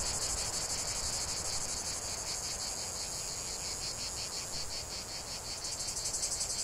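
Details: Cicada song heard outdoors: an intense high-pitched buzzing chorus with rapid rhythmic pulses layered over a constant shrill hum, steady in volume across the whole stretch.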